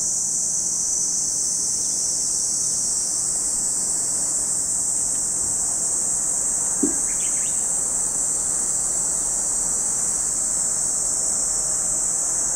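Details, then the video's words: Cicadas at Lake Kamo in Sado City, Niigata Prefecture, Japan, keep up a constant, even, high-pitched hiss without pauses. A single faint chirp breaks in briefly around the middle. "Lake Kamo in Sado City, Niigata Prefecture, Japan, where you can hear the voice of cicadas."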